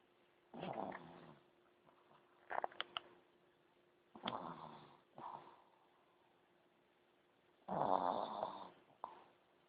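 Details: A pug snoring while asleep, giving rasping, wheezy breaths at irregular intervals, some with snuffly clicks, the last one louder and longer, over a faint constant hum in a quiet room.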